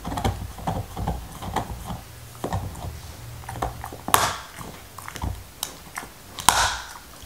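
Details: Black Labrador Retriever named Nixon chewing his favorite beef bone indoors, with no talking; irregular crunching and clicking bites with louder sharp cracks, against a low steady hum.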